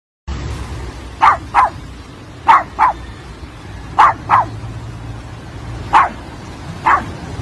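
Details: Male Pug barking at the waves each time it goes to the shore: short sharp barks, mostly in pairs about a third of a second apart, repeating every second or so over a steady low rumble of surf and wind.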